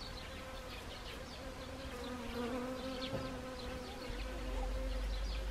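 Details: Several honeybees working wild Siberian chrysanthemum blossoms on an autumn day in Gangwon Province, South Korea, October 2020; continuous wing hum with a wavering tone that rises and dips as individuals fly near, low rumble beneath.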